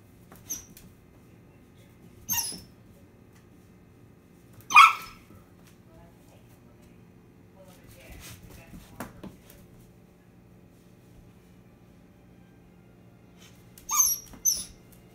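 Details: Harmony, a Basset Hound puppy, lets out a few brief, high squeaky yelps and whimpers spaced seconds apart, one sharper cry near the middle and a quick double squeak at the end, over a quiet indoor hum.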